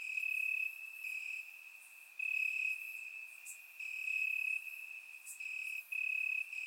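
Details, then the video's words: Crickets chirp in summer grass at night in Bulgaria, surround-recorded: a steady shrill trill with several louder stretches lasting about half a second to a second, separated by quieter gaps. "Cricket Sounds - Crickets Chirping at Night"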